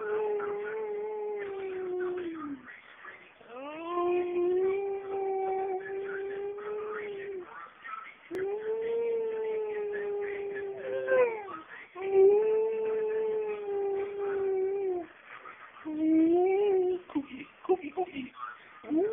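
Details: A female dog howls as a trick, in long, steady, mournful notes, each held for several seconds.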